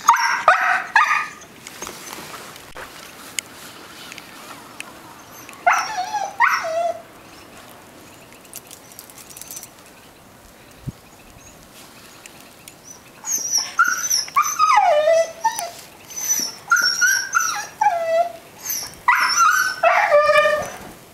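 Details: Young female Siberian Husky in Belmont, MA, on a blizzard morning, February 9, 2013, screaming to be let out into the snow: bursts of high, wavering yodel-like whines and yelps separated by quiet gaps, with faint household noise.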